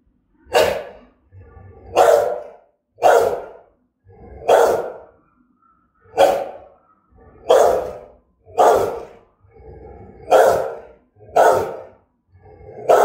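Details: A Rottweiler barks threateningly and fiercely, with deep, harsh woofs repeated about once every second or so.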